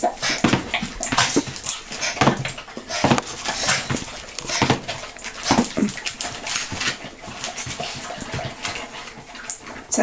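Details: Miniature Pinscher named Holly, bouncing at dinner time: short high whimpers and squeaks break in now and then over a steady run of sharp clicking and tapping noises.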